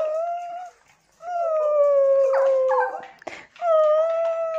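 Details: Tibetan Terrier dog howling: a short clear tone, a pause, then a long level howl lasting about two seconds with a brief noisy break, and a final steady howled note.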